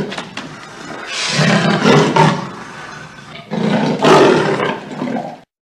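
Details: Leopard roaring in two loud, rasping bursts, each about two seconds long with a gravelly broadband texture and a strong low rumble, separated by a quieter breathy pause.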